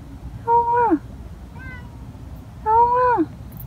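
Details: Stray cat on the street crying persistently: two long, strong meows with clear harmonics, each held then dropping at the end, plus a faint shorter call between them, against low-level background hum.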